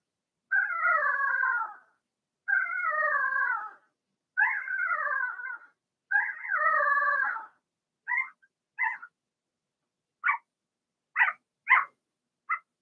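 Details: Blenheim Cavalier King Charles Spaniel puppies from a six-pup litter whelped in March, kept in a home pen: four drawn-out, falling, harmonic whines, then a run of seven short sharp yelps, clean and loud against silence.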